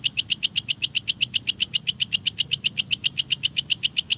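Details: Kecek grasshopper calling for use as a lovebird training recording, meant to add duration and fill to competition birds' song. Clean, shrill clicking pulses fall at an even pace, roughly four per second, over a faint low background.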